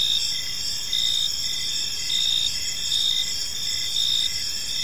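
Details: Park crickets at evening, a shrill sustained chorus swelling in brief louder bursts about once a second, pulsed chirps ticking beneath the high drone.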